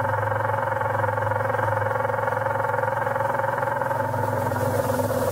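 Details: Leafhopper Aphrodes makarovi during mating behaviour: a steady, buzzy, engine-like drone with stacked low harmonics, pulsing rapidly at about 162 beats per minute throughout, with no other sounds.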